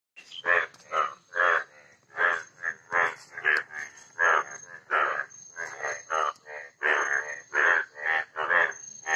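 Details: An Asian common toad (Duttaphrynus melanostictus) gives a run of short, rattling, pulsed croaks in quick succession.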